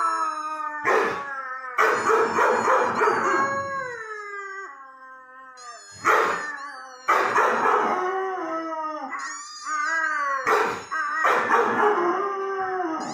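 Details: Irish Red and White Setter howling repeatedly, each bout a loud, rough wail that wavers and slides downward before tailing off, with brief yips and whines between bouts and no other sounds.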